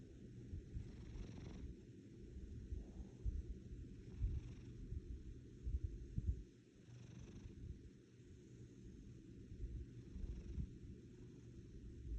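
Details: Steady low purring of a pet cat, rumbling like an engine, briefly quieter around the middle before resuming its even throaty drone.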